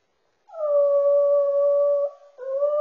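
A Yorkipoo dog 'sings' with a long, steady, tuneful howl, then starts a second, rising note.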